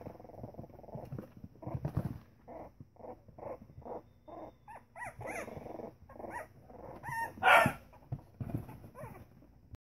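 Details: Pembroke Welsh Corgi puppies, three weeks old, at play together: a run of short whimpering yips repeated roughly every half second, building to a louder high squeal, then softer grunts.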